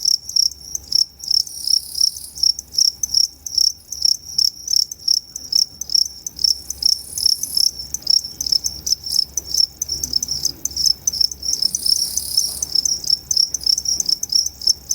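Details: Two-spotted crickets at Tama Zoological Park in Japan, recorded 29 September 2015, with two distinct call types; a long run of rapid, loud high chirps, several per second, with brief buzzier overlapping trills from another cricket.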